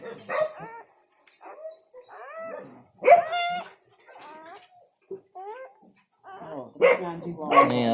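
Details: Newborn village dog puppies, one of four born today to a village mother dog, give thin rising whines and squeaks in bursts, some with clear harmonic tones, while a man talks nearby.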